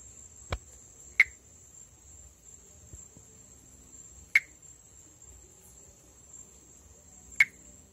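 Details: Pithecopus nordestinus, the perereca-macaco or monkey tree frog, a Brazilian endemic treefrog of the northeast, calling around amplexus. Three short, sharp clicking notes about three seconds apart over a steady high insect drone.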